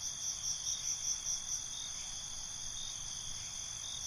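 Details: High, thin cricket trilling at night, starting with a string of quick rhythmic pulses for the first second and a half before fading into an unbroken shrill drone.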